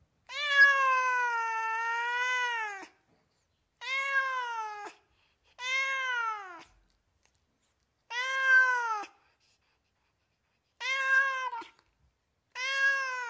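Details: California house cats meowing without pause: one long wavering meow of over two seconds, then five shorter arched meows with falling endings, spaced about one to two seconds apart in a quiet setting.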